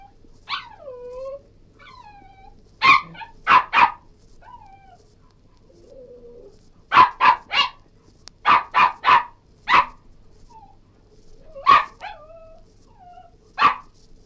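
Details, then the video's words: Cairn Terrier barking in short runs of two to five sharp yelps, separated by pleading, falling whines; faint low hum in the background. "Cairn Terrier Yelping,Whining & Barking"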